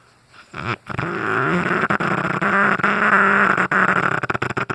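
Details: Cane Corso named Brutus snoozing away, snoring loudly: a long, rough, rumbling drone with a low buzzing tone, broken by short gaps and flutters and rising and falling in strength over several seconds.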